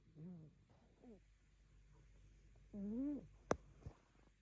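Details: Rescue cat asleep and dreaming on a dull afternoon, giving soft voiced murmurs, two short arched ones then a longer wavering one, followed by a sharp click and a faint tick in a quiet indoor room.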